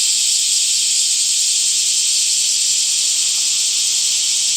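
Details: Summer cicadas producing a smooth, unbroken high hiss-like drone, very even in pitch and volume, with little audible pulsing and no other sounds.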